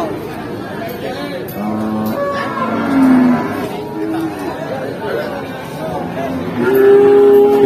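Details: Feeder cattle at the Jaken cattle market in Central Java. Low, drawn-out moos sound over market hubbub: a short one near three seconds, then a longer, steadier moo toward the end. Crowd chatter and background music continue throughout.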